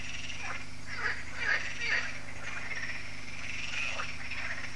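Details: Frogs in an annual evening chorus at Lac de Sabatte, a lake in France, as solar lights switch on; several croaks overlap, with scattered louder rasping calls standing out over a steady low hum.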